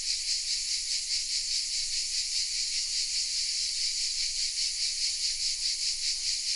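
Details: Cicadas singing from oak trees in a small village, Vézénobres, in the south of France; a loud, even, high-pitched rasping buzz that never pauses, gently pulsing, with no other clear sounds.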